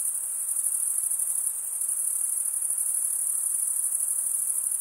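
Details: High, sizzling cricket stridulation as an even chorus, starting a touch softer and then running at a constant level, with no other sounds.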